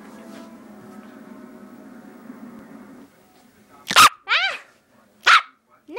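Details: A nine-week-old Rat Terrier puppy gives two sharp, high yaps about a second and a half apart, the first followed by a quick falling whine, after a low musical hum, as its owner tells it to stop.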